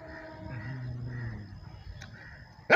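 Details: A dog growls with a low, rumbling, sustained growl lasting about a second, fading away, over faint steady background tones, and ending in a sudden loud burst of noise.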